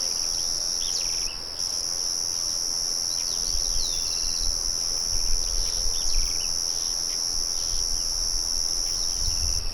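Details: Crickets keep up a continuous high trill outdoors near a murmuring mill. Several birds add brief chirps and rising whistles, a short gap breaks the trill early on, and a low rumble runs underneath.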